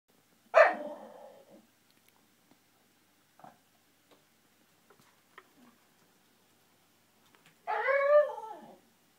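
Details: Japanese Shiba Inu, male, indoors, venting frustration at not reaching his ball behind a TV stand: a loud harmonic yelp-like burst, then near silence with faint knocks, then a longer wavering whining moan near the end.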